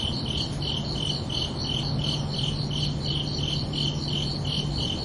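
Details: Night crickets on a summer evening, sounding a regular train of shrill pulsed chirps, roughly three each second, with a faint steady low hum running underneath.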